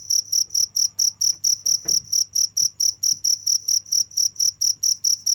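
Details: Steady, shrill chirps of crickets beat in an even pulse roughly four times a second, with a faint low hum and a soft brief rustle.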